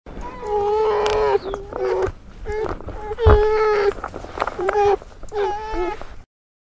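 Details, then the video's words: Bear mother with her cubs: a series of drawn-out, moaning, harmonic bawls with mid-pitched tones, some with wavering or rising ends, in bursts of one to two seconds separated by short gaps, then silence. "Bear And Ber Cubs"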